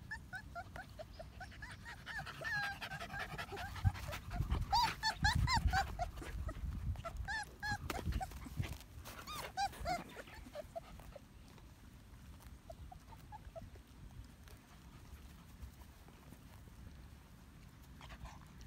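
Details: Medium poodle pups, one month old, whine and yelp in bursts of high, wavering cries mixed with panting and handling noise. The calls fade into quieter, sparse squeaks later on.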